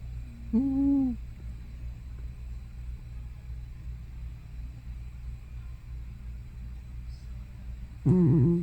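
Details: Hana, an elderly house cat probably over 15 years old, making sounds in her sleep that could be snoring or sleep-talking: a short, low, wavering murmur near the start and a louder, fluttering, moan-like burst at the very end. A steady low hum underneath.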